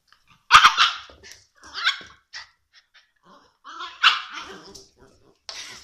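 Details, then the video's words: Shiba Inu puppy barking loudly indoors, with sharp harmonic yaps at the start and again near the fourth second, and softer yips between them. "Shiba puppy"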